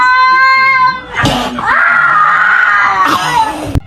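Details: Kitten meowing in a household setting: a steady, tonal cry at the start, then a loud, long drawn-out meow after a sharp noise burst, ending with another burst of noise.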